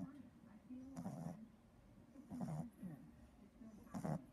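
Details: Three-month-old Boston Terrier puppy snoring as he naps in an odd position: quiet, raspy, low buzzing snores in short bursts roughly every one and a half seconds, each with a wavering nasal tone.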